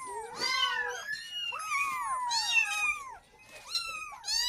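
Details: Kitten meowing to call its mother, asking for milk; several overlapping high, bent mewing calls, rising then falling, repeated about once a second with a short pause near the end.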